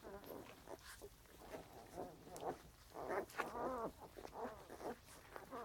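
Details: Soft, short puppy grunts repeated irregularly, about one and a half per second, with a louder cluster of harmonic squeaks near the middle; quiet overall.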